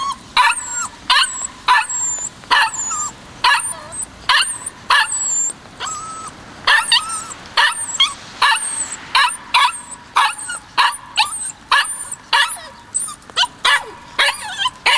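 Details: A 56-day-old white male Kishu puppy, recorded in March 2020, yaps continuously: rapid high-pitched barks roughly twice a second, mixed with thin squeaks and whimpering slides.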